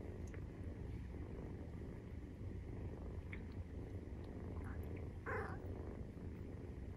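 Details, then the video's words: Maine Coon kitten aged 43 days, purring during nursing: a continuous low rumble with small clicks, and one brief brighter squeak near the end. "授乳時のゴロゴロ 生後43日目【メインクーン動画】"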